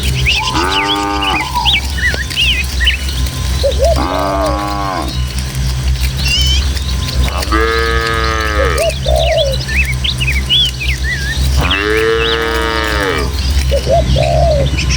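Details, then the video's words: Four shorter moos, roughly every four seconds, rise from a herd of tame village cattle walking over rural hills to the pen. Thin bird chirps and twitters fill the gaps, with a constant low breeze underneath. "Suara Sapi"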